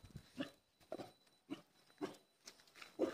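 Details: Indian street dog raising an early-morning alert around 4:30, giving short sharp barks about every half second, six in a row, faint and somewhat distant.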